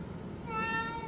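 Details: Pet cat reacting to hearing the word for dried pollack, a food; after a short pause comes one drawn-out, steady, tonal meow lasting about half a second over soft room noise.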